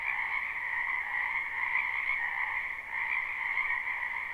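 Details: Spring wetland frogs calling together, recorded live: a constant buzzing-trilling wall of croaks at two pitch levels, with a brief slight dip in loudness midway and no other sounds.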